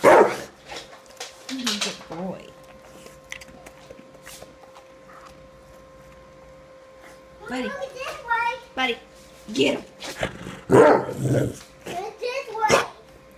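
A Rottweiler gives short, deep barks on command, between a person's spoken praise.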